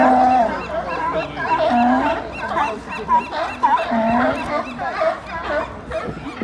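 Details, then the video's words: A crowded colony of seals at Pier 39, San Francisco, barks and honks over one another in a continuous, rough chorus. "Barking Seals at Pier 39, San Francisco II"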